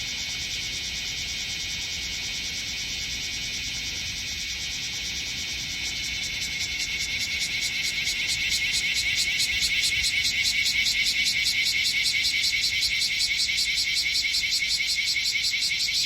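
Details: Several bear cicadas (Cryptotympana facialis) gathered on a potted tree standing on artificial turf in Minokamo, Gifu, Japan, on 13 July 2024. They give a dense, shrill buzzing that swells after six seconds into a louder, rapidly pulsing chorus.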